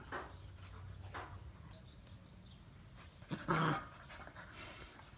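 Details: Puppies, with one short, sharp high cry rising out of soft rustling and breathing noise near the end; earlier only faint low thumps and quiet background sounds.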